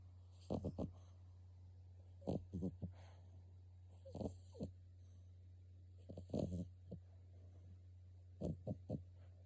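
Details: French Bulldog puppy snoring: short rough snorts in pairs and triplets every two seconds or so, low and breathy over a steady indoor hum.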